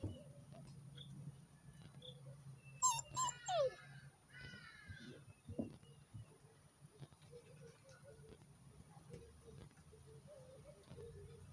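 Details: Rhodesian Ridgeback puppies from a litter of eleven, born 1 October, giving a short burst of high, sliding whimpers and yelps near the middle, then fainter murmurs over a low steady background hum.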